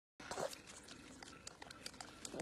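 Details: A Bengal tiger cub makes brief, nasal mewing cries, one near the start and another at the end, over a steady, rough, rustling background hiss with faint knocks.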